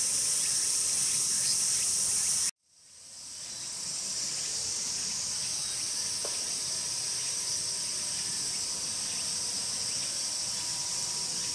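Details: A Walker's cicada (Tsukutsuku-boshi) sings its song from start to finish: a high, shrill, steady buzz that stops abruptly and then swells back.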